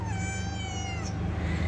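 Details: Domestic cat with its kittens nearby, kept in a cat house, gives a single long meow that falls slowly in pitch, rich in bright overtones, over a steady low hum.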